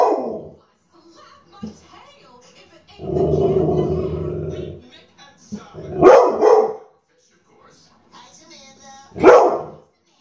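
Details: Cooper the dog barking and growling: a short bark opens, then a sustained low rumbling growl of about two seconds, followed by two loud, sharp barks roughly three seconds apart, with faint voice-like sounds in the gaps.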